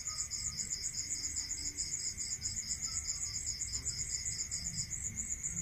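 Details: Night-time rural crickets produce a continuous shrill pulsing trill, accompanied by a second lower pulsed trill that stops shortly before the end, over a constant low hum.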